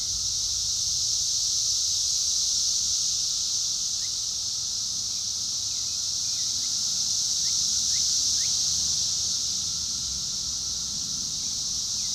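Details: Cicada chorus, loud enough to drown out a mockingbird, holding a constant high, hissing drone throughout, with a few faint, short bird chirps in the middle buried beneath it.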